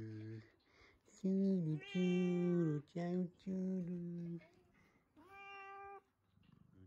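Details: Domestic cat, just woken up, reacting to the word "churu" for a treat; several loud, drawn-out harmonic meows, some wavering and falling at the end, with short breaks between, over a quiet indoor room.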